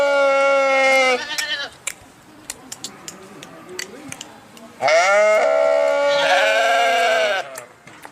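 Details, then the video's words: Sheep bleating twice: a loud, harmonically rich, wavering bleat of about a second, a quieter gap with faint clicks, then a longer, stronger bleat of nearly three seconds. "صوت الخروف | the sound of the sheep"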